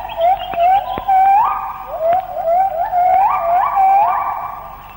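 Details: Melodious morning song of a white-handed gibbon, Malaysian rainforest, recorded late 1950s to early 1960s: a rapid series of pure hooting notes, each rising sharply then levelling, repeated roughly every half second in an accelerating, musical sequence.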